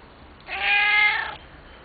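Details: Male house cat asking for dinner, one drawn-out nasal meow just under a second long, steady and slightly wavering, over quiet room hiss.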